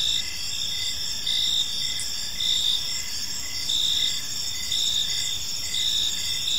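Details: Crickets sing in a park during the evening, a bright layered trill with rhythmic chirp pulses recurring close to once a second, steady and unbroken throughout.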